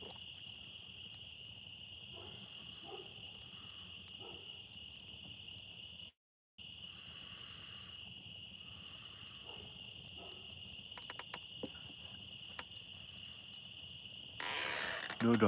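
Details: Night-time drone of crickets and insects by a campfire outdoors: a continuous high-pitched trill runs throughout, briefly cut by a moment of silence, with scattered clicks and a burst of louder rustling noise near the end.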